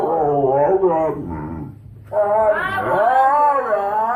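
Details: Pet dog making funny noises: a loud, wavering, strongly harmonic howl with a growly edge, broken by a short low rumble, then rising again into a sustained warbling howl.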